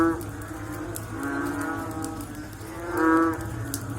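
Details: Frogs calling after rain: deep, nasal, moaning calls with a rich harmonic tone, several overlapping, louder swells near the start and at about three seconds over a steady low background hum.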